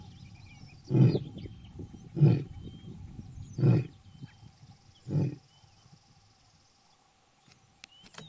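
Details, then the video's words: Four short, deep, breathy lion grunts spaced about 1.3 seconds apart, recorded in natural habitat, then quiet; faint chirping birds and a steady high insect-like hiss continue in the background. "Rugido do Leão | Som do Leão | Áudio do Leão"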